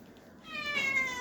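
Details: Pet cat wanting to eat fish lets out a drawn-out, clear meow of nearly a second, steady in pitch and slightly falling at the end, after a woman offers it fish she cooked.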